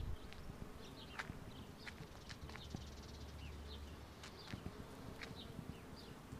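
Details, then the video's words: On a wisteria in full bloom in Southern California in spring, many bumblebees produce a low, even hum. Birds give quick, high chirps throughout, with a brief deeper rumble in the middle. "Bumble Beez in a Wisteria tree"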